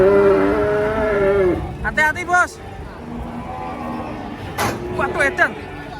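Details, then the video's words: Angry cattle unloaded from a truck: one drawn-out, falling bellow at the start, then men's excited shouts and voices over engine noise. "SAPI LUCU NGAMUK TURUN DARI TRUK"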